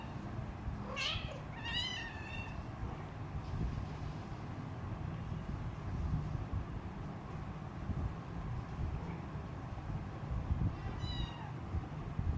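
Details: Three-week-old hungry Siamese kitten beside its mother, giving two quick, thin meows early on, then a long quiet stretch of low hum before one faint meow near the end.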